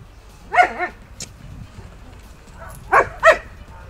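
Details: Akita Inu dog with a history of aggression and biting, undergoing behavioural re-education with a trainer and rated 6.5 on a 1–10 social-risk scale; two pairs of short harmonic barks or yips, about two and a half seconds apart, with quiet praise between.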